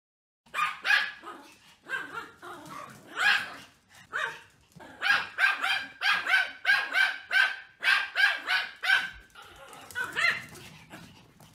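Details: A female Pomeranian barks in quick, high, yappy bursts, several per second at times.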